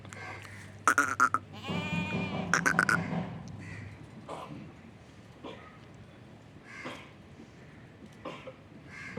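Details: Goat at a goat farm letting out one drawn-out, tremulous bleat lasting about a second and a half, set among sharp clicking and knocking sounds, with faint scattered noises afterwards over a low hum.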